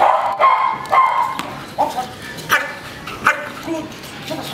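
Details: Belgian Malinois named Chopper during a training session, giving a run of short, harmonic, yelping barks at uneven intervals, about six in under five seconds, with faint human voices in the background.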